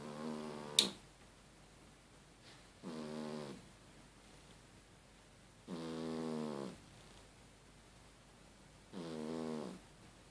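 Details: Cat asleep and snoring like a human, with loud, buzzy, rough snores that come about every three seconds, each lasting under a second, after a sharp knock at the start.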